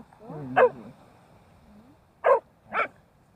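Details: Puppy on its first walk by the sea along Daebudo Haesol-gil course 1: a wavering, whiny harmonic note, a pause, then two short, sharp barks about half a second apart.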